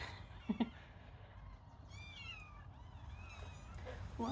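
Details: Little kittens playing, a few faint, wavering high meows clustered near the middle, with brief thumps and low murmuring around them.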